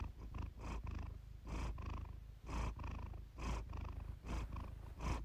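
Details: Iris the cat purring in a relaxing purr-therapy recording, deep continuous rumble swelling into distinct breathy pulses spaced close to a second apart.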